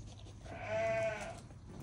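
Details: A two-and-a-half-week-old Great Pyrenees puppy, from a litter of seven getting collars fitted indoors, gives one clear, steady, high whine lasting about a second, rising slightly and then fading, over a quiet room.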